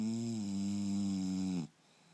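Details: English Bulldog Turbo asleep indoors, snoring again: one long, drawn-out harmonic snore lasting about one and a half seconds, steady and rasping with a low buzzy tone, then cutting off abruptly into near silence.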